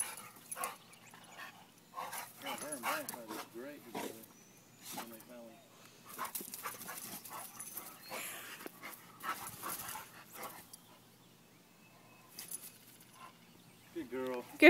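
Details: Pearl and Lola, pet dogs at playtime, give bursts of wavering whines and short yelps, rising and falling in pitch, scattered between stretches of a person speaking to them and praising them.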